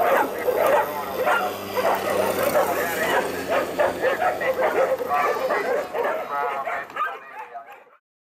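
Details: Afghan Hounds at a lure coursing competition, the Finnish Sighthound Racing Championship 2016 in Finland, chasing an artificial lure; rapid bursts of sharp, excited barking for about seven seconds, then abrupt silence, over a faint low hum.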